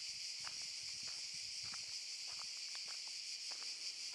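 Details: Cicadas buzzing in a Zadar park in August 2014: a steady shrill wall of sound overlaid with scattered footstep-like crunches and clicks.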